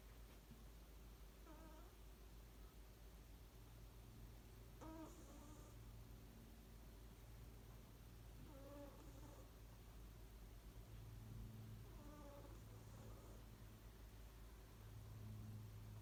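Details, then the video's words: Domestic cat Ku asleep and snoring, looking comfortable; short nasal harmonic snores return every few seconds, some paired with a breathy hiss, all quiet against a steady low hum. "いびきかいて寝ているねこ snoring"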